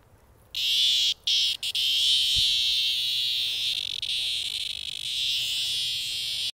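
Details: Sidewalk cicadas in 2020: after a quiet start, an intense shrill buzzing drone kicks in, briefly interrupted twice, then holds steady and slowly fades slightly before cutting off.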